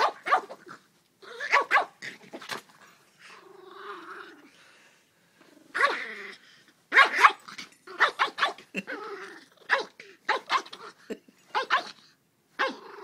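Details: Dog at play with its household, tail wagging, captured on an iPhone: rapid chains of barky, broadband bursts mixed with short moaning growls, clustered in irregular flurries with brief pauses between.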